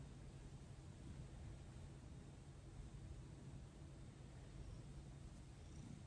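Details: Thomas the cat purring while being massaged at night, after 18 days of gentle handling; a low, steady rumbling purr with an even, continuous throb and no breaks, set against quiet indoor background hiss.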